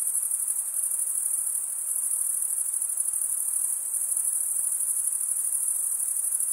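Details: Crickets, males stridulating with their wings, fill the recording with an even, piercing high trill, lightly pulsing and uninterrupted, with no other sounds.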